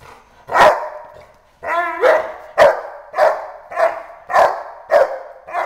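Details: Female Boerboel during Schutzhund training, agitated just before the escape bite: deep, forceful barks repeated about every half second, the first pair spaced by a short pause, with a drawn-out whining bark in between.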